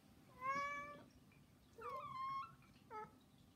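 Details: Domestic cat meowing to beg indoors, one of three house cats; three harmonic meows, the first long and level, the second rising then falling, the third short, with quiet room hum between.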